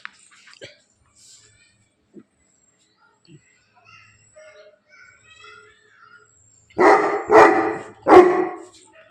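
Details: Bully Kutta male dog from Bangalapudur: quiet chirps and faint noises, then a quick run of three powerful, rough barks near the end, spaced about half a second apart.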